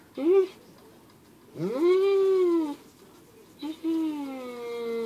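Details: Tank, a pet dog, whining indoors out of jealousy while its owner plays with a squirrel: three drawn-out, tonal whines that rise and then slowly fall, the last one long and gliding downward, with short quiet gaps between them.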